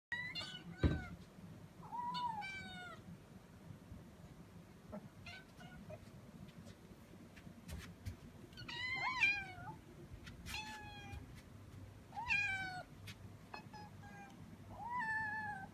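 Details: Five kittens excited at feeding-time preparation, giving high-pitched harmonic meows that rise and fall, in spaced bursts every second or two, with a low background hum and occasional clicks.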